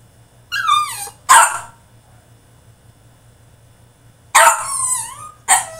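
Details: French Bulldog throws a tantrum in his cage, giving a falling whine and a sharp bark, a silent pause of about three seconds, then a loud drawn yelp sliding downward and one more short bark.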